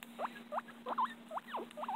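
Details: Pet guinea pig, called very loud by its owner, giving a run of short rising squeaks, about seven in two seconds, some curling up then down, with a steady low hum behind.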